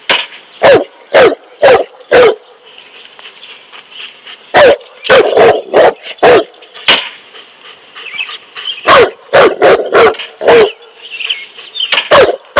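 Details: A Cane Corso confronts a snake with bursts of loud, harsh barks, sometimes doubled or tripled, about two per second at their fastest, with gaps of quiet hiss between runs.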